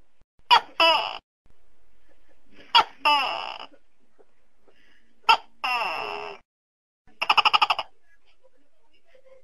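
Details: A tokay gecko gives three two-part calls, short harsh bark then longer falling nasal note, before finishing with a burst of rapid rattling pulses; nothing else is audible.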